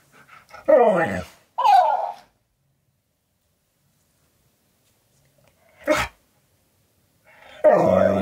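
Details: Siberian Husky K'eyush argues with a talking cactus toy indoors: three loud, short, moaning yowls, the first two a second apart, then a long pause before a third, with little else around them.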